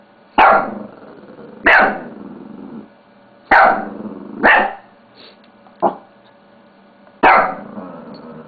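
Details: Bella, a pet Shih Tzu, barks while playing with a mouse pad: six sharp, loud barks spaced irregularly one to two seconds apart, some followed by short growly tails, indoors with a steady low hum.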